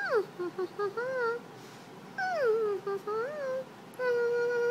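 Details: Apollo, a dog, making a confused face indoors: a string of high, wavering whines and yips, some swooping down then up, ending in a long steady whine.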